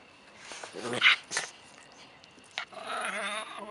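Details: During play-fighting between a 10-week-old Stabyhoun puppy (75% Stabyhoun, 25% Wetterhoun) and a 7-year-old dog, short snarling bursts are followed by a rough, wavering growl that rumbles on for about a second.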